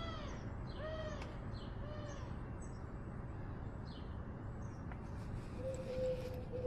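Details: Ros, a pet cat carrying a camera on its outdoor roaming, gives short arched, slightly falling meows about once a second, five in a row, over a steady low background hum, then a brief level tone near the end.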